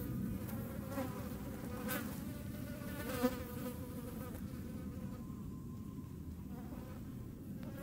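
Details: Hornets in the Eifel region of Germany making a continuous low-pitched buzzing drone, the tone staying level for the whole stretch with slight swells and one brief click near the middle.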